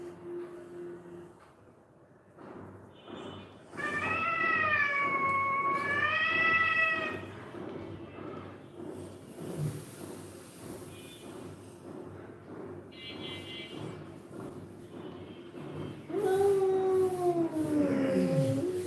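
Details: Domestic cat, one of the rescued street cats kept at home since 2016, meows twice: a long wavering mew early on and a falling, plaintive one near the end, over a steady low hum and soft household noises.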